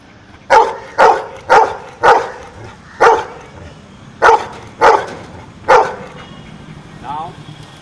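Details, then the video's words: Dog that knows numbers responds to a sum: eight short barks, mostly evenly spaced with one longer pause before the last three, followed by a brief human voice at the end. "Dog knows numbers"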